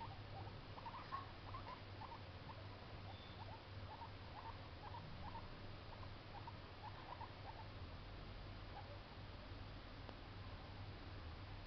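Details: Baby guinea pig making noise: a run of short, soft squeaks and chirps repeated several times a second for about eight seconds, fading out, over a steady low electrical hum.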